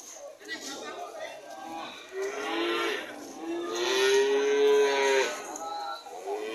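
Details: Cattle mooing: two drawn-out, harmonic lows, the first brief around two seconds in and the second longer and louder, swelling then fading near five seconds, over steady background noise.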